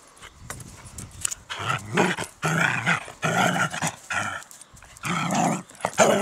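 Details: A dachshund at an allotment garden plot gives a run of throaty, drawn-out barks with a growling edge, separated by short pauses.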